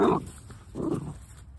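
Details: Golden Retriever Martta, a puppy just turned one year old, gives two short, low harmonic woofs about 0.8 seconds apart, the first louder and sharper, the second softer and drawn out, then quiet.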